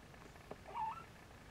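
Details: A single brief, thin mew rises slightly at its end, from nursing Siamese Snowshoe kittens, over a faint low hum.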